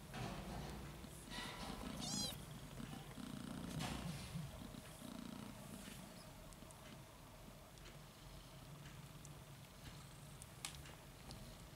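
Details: Domestic kittens pushing and fighting over their mother's milk while nursing. A low, rumbling purr runs through the middle seconds, with a brief high, wavering kitten mew near the start and soft rustling throughout.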